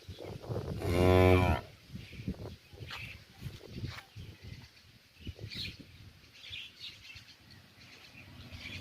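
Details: One cow in a village calls to another after being separated, giving a single short, loud moo of under a second. Rustling, knocks and distant chirping birds follow in the morning countryside.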